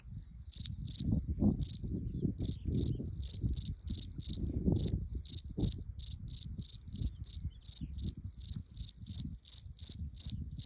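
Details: Cricket calling with a steady series of brief high pulsed chirps, roughly three per second, some slightly irregular, over soft low rumbling and scraping background noise.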